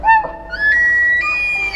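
A bull wapiti gives a high, flute-like bugle, starting low, sliding up and then holding a bright whistled tone before a brief break. The rutting bugle advertises a bull's claim to territory and females, letting rivals gauge his strength.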